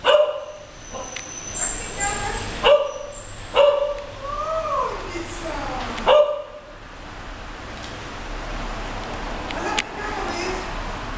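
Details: English Cocker Spaniels Moving and Luize, aged nearly 13 years and nearly 9 months, romping on a bed; sharp, bright barks burst out at irregular intervals over the first six seconds, with a gliding whine-like tone and voices between them.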